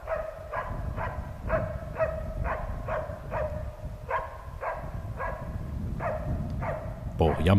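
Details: Norrbottenspets, a Nordic spitz hunting dog, barking while hunting. Short, sharp mid-pitched barks come in a steady, even series of about two per second, sustained throughout, with a low outdoor rumble underneath.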